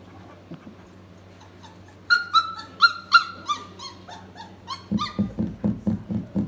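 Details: F1B doodle puppies, four weeks old, giving a run of high whining yelps that slide downward in pitch, followed by a quick series of shorter, lower grunting whimpers repeated about three times a second over a steady background hum.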